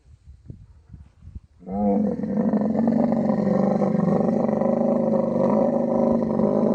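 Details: Mating-season camel, Thar Desert of Sindh, Pakistan. Quiet rustling and knocks come first, then a sudden loud, rich, rasping roar starts and carries on unbroken, deep and harmonic, to the end.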